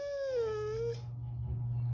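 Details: Husky 'talking' while upside down: a short, clear whine dipping slightly then levelling off, lasting about one second, followed by low background hum until an abrupt cut.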